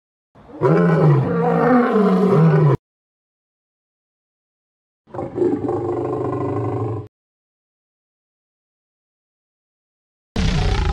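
A lion gives deep, rumbling roars that slide downward in pitch, with silent pauses between them.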